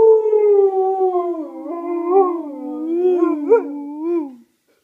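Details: Alaskan Malamute singing with its owner, giving one sustained howl that starts high and drifts lower, wobbling and wavering in pitch before trailing off.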